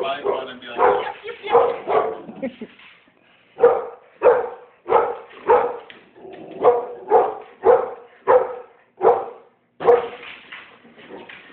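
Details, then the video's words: Monkey, a pit bull frightened by balloons, barks in short sharp bursts, roughly one every half second to a second, with a brief pause partway through; a person's voice is heard near the start. "Monkey the pitbull scared of balloons"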